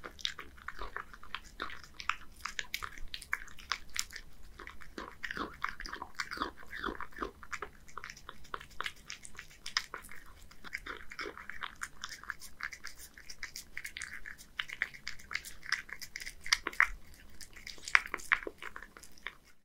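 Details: A one-year-old male Scottish Fold named Hige, at home in Japan, laps and chews bonito wet food from a can; dense, rapid clicking and smacking mouth sounds continue steadily with sharper bites near the end.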